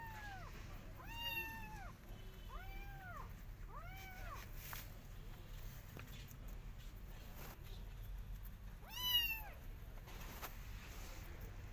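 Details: Garden outing of a Persian cat with her adopted kittens, carefully watching rabbits; a run of six or seven bent, mewing calls in quick succession, then a later lone meow, beneath a low outdoor rumble.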